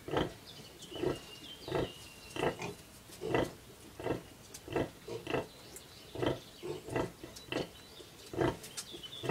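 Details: Bentheimer Landschwein sow with eleven newborn piglets at the LWL open-air museum in Detmold, Germany, on its Osnabrück farmstead: low, rhythmic grunts repeated roughly every three-quarters of a second, with faint high thin squeaks in the background.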